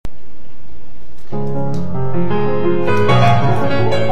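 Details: Piano music begins after a short pause and builds with sustained chords, with no animal sound heard.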